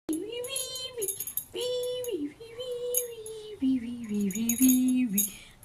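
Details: Labrador Retriever reacting while being teased, giving drawn-out whining howls: long tonal notes that hold level, then bend down, in several separate bursts, the later ones lower and wavering, with faint higher sounds behind.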